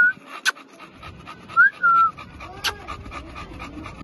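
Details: American Bully puppies breathing in soft rapid pants, broken by short high whining squeaks and two sharp clicks.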